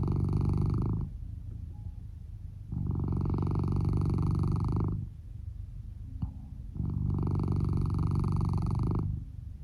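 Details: Male red tabby and white Norwegian Forest Cat, born 2015, snoring while sleeping soundly under a futon, volume boosted; loud rasping breaths lasting about two seconds alternate with quieter ones in a steady rhythm.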